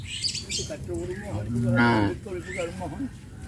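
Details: Evening on a farm as cows are herded into the pen; one short, mid-pitched moo swells and fades within a second amid rustling, with faint chirps and a voice in the background.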